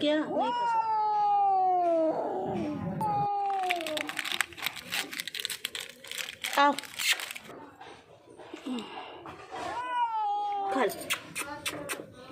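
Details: Frightened, hungry and thirsty street cat. A long falling meow opens, followed by a shorter one. Then comes a stretch of rustling and a person's speech, and the clip ends with another wailing meow.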